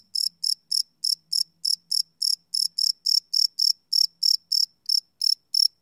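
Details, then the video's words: Crickets chirping at night, recorded live on a Sony PCM D100 field recorder: bright, high-pitched pulses repeated about three to four times a second in a steady train, nothing else audible. "Cricket Chirp Sound - Cricket Sounds at Night"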